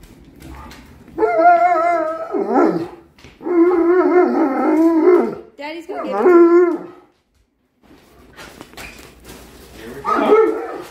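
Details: Alaskan Malamute, a giant male dog, excited at dinner time and awaiting a chicken treat after his insulin shot; drawn-out, wavering, howl-like 'woo' vocalizations in three long bursts and a shorter final one, with an owner speaking softly.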